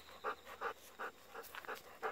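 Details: Golden Retriever on an evening walk, pestering for persimmons that are not yet ripe; quick breathy pants in regular bursts about every third of a second, each a soft hoarse puff, over quiet outdoor background.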